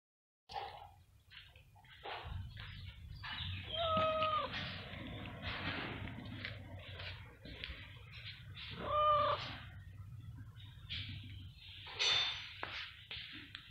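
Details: Stray cat waiting for food gives several short harmonic meows, around four and nine seconds, with a higher cry near twelve seconds, between rustling and low background hum.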